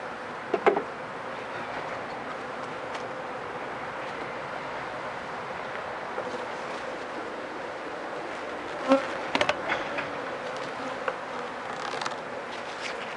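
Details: Constant drone of honey bees in an opened hive where wax moth damage is feared, inspected late in the day after rain; a continuous hum with scattered clicks and clunks of frames, and a louder knock near the middle.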